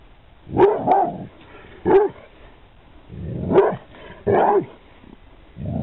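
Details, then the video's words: Lennox, a Pit Bull, barks in 2009: quick pairs and single barks, several followed by lower, rougher grumbling tones between them. "Pitbull Lennox barks / bellt"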